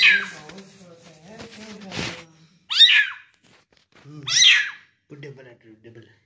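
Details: Young kitten, one month old, being fed indoors; a human voice talks at first, then two loud, shrill, downward-sweeping mews ring out about two seconds apart, with soft speech at the end.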